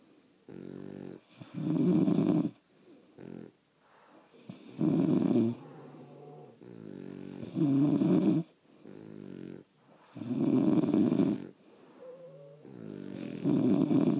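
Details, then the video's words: Sleeping French Bulldogs, pets recorded overnight indoors, snore in a regular cycle: loud buzzy rasps about every three seconds, with soft wheezing inhalations and a faint squeaky whistle in between. "Snoring French Bulldogs"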